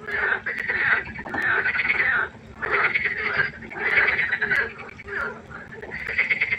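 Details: Frog chorus at night by a pond: overlapping rattling, pulsed croaks in bursts of about one second, separated by short quieter gaps, with a steady low hum beneath.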